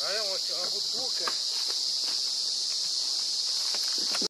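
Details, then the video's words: Emerald cicada (Zammara tympanum) singing at the RPPN Corredeiras do Rio Itajaí reserve in Itaiópolis, Santa Catarina, Brazil: a steady, unbroken high-pitched buzz runs throughout, with a brief human voice at the start and scattered faint clicks. "Canto da Cigarra Zammara tympanum - Emerald Cicada singing"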